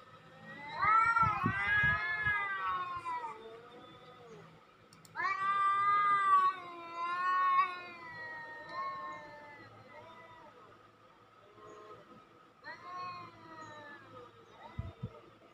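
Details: Cat calling used to lure other cats: overlapping drawn-out meows and wailing cries in bursts, some harmonically rich and wavering, separated by quieter stretches, with a few low thumps and faint background hum.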